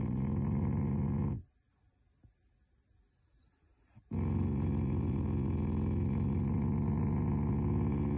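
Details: Shiba Inu showing affection through growling rather than anger: a low, rough rumble, then a pause of nearly three seconds, then a longer sustained growl to the end.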